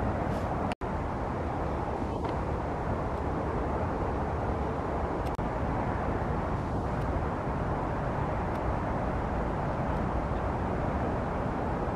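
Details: Steady low traffic or aircraft rumble with a brief click, and no clear animal calls.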